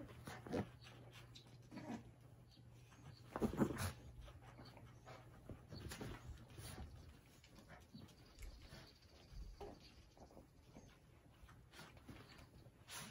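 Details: Indoor Cavalier King Charles Spaniel wrestling a cushion, recorded 13 June 2021: a brief strained growling whine near the middle among irregular snuffles, scuffs and soft thuds, over a constant low room hum.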